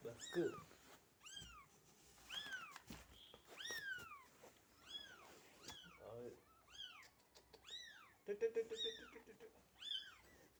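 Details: Cat with three newborn kittens born at home, the mother carrying them as they are moved to a box indoors; a run of high, arched mews repeats about once a second, with a woman talking softly in between.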